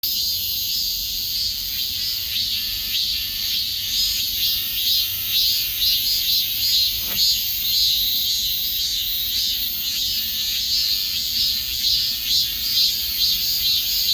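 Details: Cicada chorus: a dense, continuous high-pitched buzz with a shimmering pulse about twice per second, steady in loudness throughout, with no other clear sounds.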